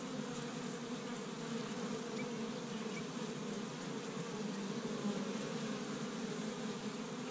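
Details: Spring hive of honey bees in Michigan, active on the first warm day and collecting pollen from tree buds. An even, low buzzing drone of many bees fills the whole stretch without pause.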